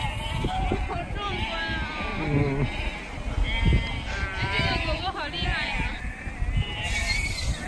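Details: Sheep at Snowdon, UK, on 1 September 2019, being herded by a Border Collie; several wavering, harmonic bleats overlap through the middle, with people talking in Chinese and steady wind noise underneath.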